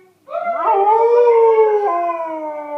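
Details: Domestic dog Wrigley in a loud, clear howl that swoops upward at the start, then holds a smooth, level tone for about two seconds with a small drop near the end.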